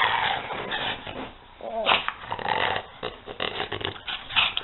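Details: Peanut and Daisy, two dogs at play, trade gravelly growls and huffs, with a brief whining, yipping note at the midpoint between bursts of scuffling, noisy rumbling.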